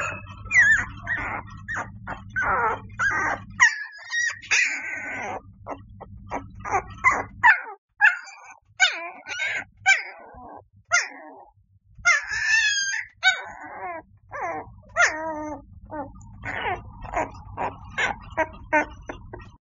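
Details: Chinese Shar Pei puppy giving short, high yips and whimpering squeals in irregular bursts, some notes sliding upward, over a steady low electrical hum that cuts out now and then.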